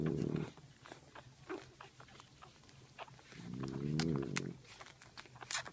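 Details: French bulldog mother dozing while her puppies nurse; two low, grating snore breaths a few seconds apart, quiet ticking and shuffling sounds in between.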